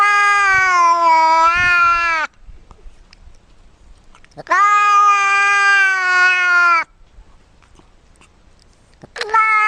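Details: Domestic cat making strange sounds, a series of long, loud, harmonic meows about two seconds each, level then gently falling, separated by quiet pauses, with a third starting at the end.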